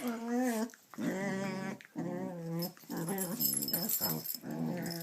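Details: A pet dog indoors gives a run of drawn-out whining, grumbling vocalisations, each about half a second to a second long with wavering pitch, repeated roughly once per second.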